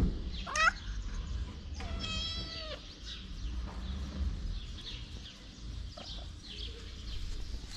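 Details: Homeless pregnant black stray cat calling: a quick rising chirp, then a long, level, harmonic-rich meow lasting nearly a second, followed by quiet rumbling outdoor noise with faint scattered clicks.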